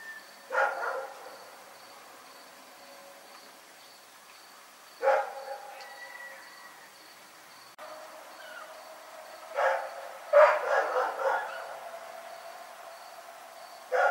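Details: Rex the dog barking in the night, lone harsh barks separated by several seconds of quiet, then a burst of three or four rapid barks near the end, faint constant hum behind.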